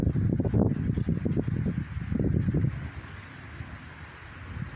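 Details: Wild boar piglets at a river watering place: low, rough grunting bursts repeated about three times a second for nearly three seconds, then fading into quieter low rumbling and light wind noise.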